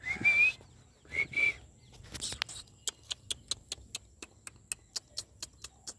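A Labrador puppy gives two thin, high whistled whines, followed by a run of sharp, regular clicks.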